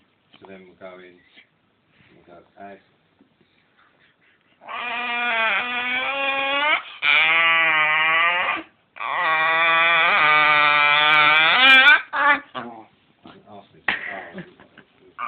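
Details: Domestic dog 'talks' to ask for more belly rubs, giving two long sustained tonal moans with a warbling, wavering pitch, separated by a short pause and framed by quieter grumbles and faint human voices in a small room.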